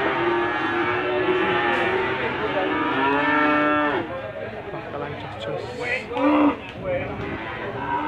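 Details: Limousin calves at the animal market in Gondanglegi, Malang, East Java, 12 February 2020: many overlapping sustained moos, some dipping in pitch, with voices and market clatter behind.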